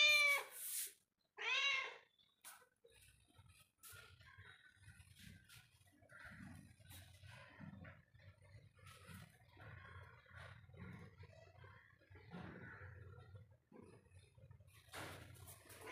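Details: Domestic cat roaming inside a home gives two clear, drawn-out meows in the first two seconds, the second arching up and falling, followed by quiet rustling and faint low household rumble.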